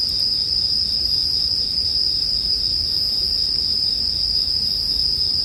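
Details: Unwavering high-pitched ringing of a bell cricket chorus fills the whole stretch, with a slight pulsing texture, faint fire crackle and a low background hum.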